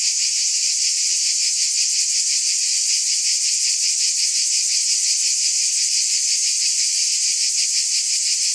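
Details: Cicadas keep up an intense, even, high-pitched buzz, its rapid pulsing texture unchanged throughout, with no other sounds clear.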